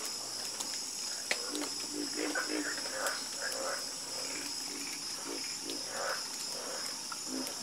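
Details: Chorus of frogs croaking: short, low, throaty croaks repeat irregularly from several callers. A steady high insect whine runs throughout.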